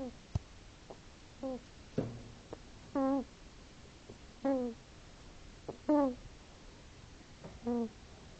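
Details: Hedgehog asleep and snoring indoors, giving rhythmic wheezy, nasal squeaks with a wavering pitch, each lasting about a third of a second and repeating roughly every one and a half seconds, with soft clicks and sniffs between.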